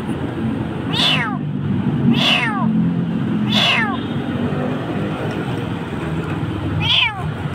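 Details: Crying stray kitten in Jakarta, scared in a dark place, repeats four short, high, falling meows about a second apart as a person calls to it over continuous traffic hum.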